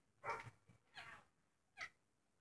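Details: Two one-day-old pygmy goat kids, with their protective mother nearby, give three high, thin bleats in winter, the last brief and clipped; the kids squeal in confused panic when picked up.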